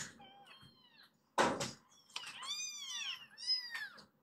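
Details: Foster kittens kept indoors calling to be let out to play on the sofa; a few thin, drawn-out high meows after a sharp knock, with quiet room noise.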